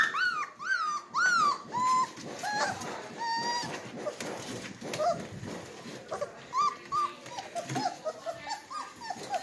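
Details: Red Golden Retriever puppies from Winchester's litter, three weeks old, ready to nurse: high, arched whines that slide up and down, several overlapping in quick bursts, some short yelps, indoors in a small room.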